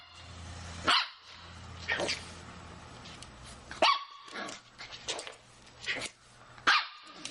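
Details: Shih Tzu puppy playing, giving short, sharp, high barks in separate bursts about once a second, with quiet gaps and pauses between them; a faint low hum runs underneath.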